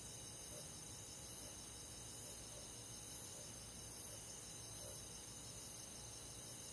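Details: Crickets and other grass insects on a midsummer night in the countryside: a dense, steady high-pitched insect chorus with brighter shrill pulses returning about once a second over a constant hissing background.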